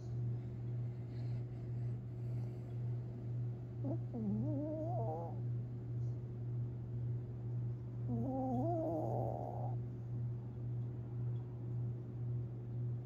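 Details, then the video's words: Tinkerbell, a Long Haired Chihuahua dreaming in her sleep on April 17, 2021, lets out two wobbly, nasal whimpers several seconds apart, heard above a continuous low hum with gentle rhythmic breathing. "Long Haired Chihuahua (Tinkerbell) Dreaming And Snoring While Sleeping!"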